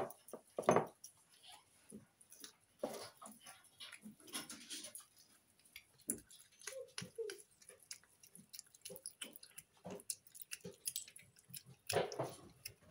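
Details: Snow Lynx Bengal cat, a female house pet, eating indoors as a loud eater: sharp broadband crunches and clicks come in irregular bursts, louder at the start and near the end, with softer chewing between.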